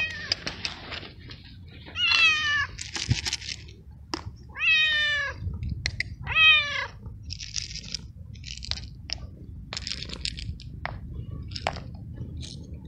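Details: Male stray cat in heat calling for a mate, three loud, drawn-out meows with falling harmonic sweeps, spaced roughly two seconds apart, followed by scattered clicks and small rustling noises indoors.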